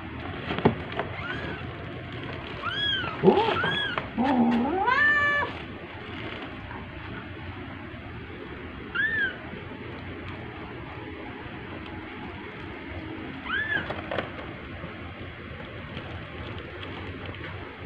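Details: Domestic cats at home during orange cat Jay's second birthday, 19 March 2023. A burst of several loud, wavering meows comes early, then two short, softer meows follow after long quiet gaps. Faint human voices can be heard.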